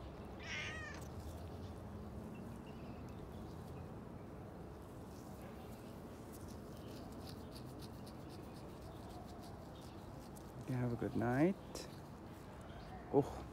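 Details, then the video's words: Domestic cat at feeding time, recorded 27 November 2020 with a JVC device: a short meow near the start, a longer drawn-out harmonic meow around eleven seconds, and a brief final one, over steady low background hum. "cat feeding"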